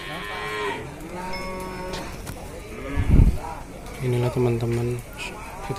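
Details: Market cattle in Ciwareng, Purwakarta, Indonesia: a deep, rich moo near the end follows softer lowing, with a sharp knock midway and people talking faintly in the background.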